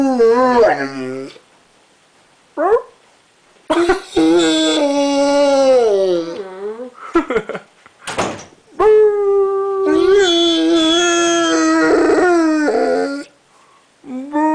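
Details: A three-legged Rottweiler, an osteosarcoma survivor, lies in bed and "sings", giving drawn-out, wavering, mournful howls that slide up and down. Short gaps separate the phrases, and the sound is close and clear, as if in a small room.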